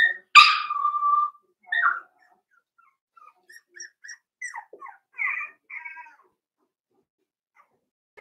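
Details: In a pen, four-week-old Cavalier King Charles Spaniel puppies of Daisy's litter give one loud sharp yelp sliding into a whine, then a string of faint quick squeaks and chirps fading away.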